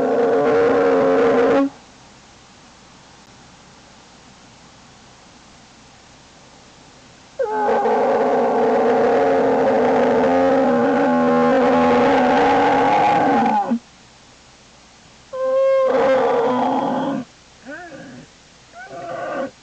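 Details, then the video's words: American black bear cub in its den on 27 January 2012, fussing: loud, harmonic, wailing cries, a short burst at the start, then a sustained six-second bawl, then a shorter cry and a few brief wavering squeals. "from fussy to happy bear"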